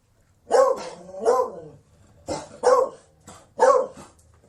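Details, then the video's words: A Beagle gives a run of loud, resonant barks, the first two drawn out and slightly wavering, then a quicker pair of sharp barks, all in a mid-pitched, tonal voice. "Sonido de un Beagle"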